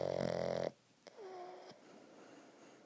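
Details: A Boston Terrier lying squished while asleep gives a loud, buzzy, rasping snore that cuts off abruptly, followed by quieter breathing.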